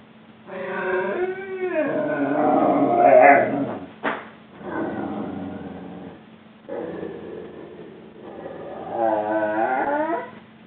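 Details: Juba, a male Rhodesian Ridgeback dog three weeks into a new home, protests a crate-training time out with long wavering harmonic howls and moaning grumbles that rise and bend in pitch, in several drawn-out bursts.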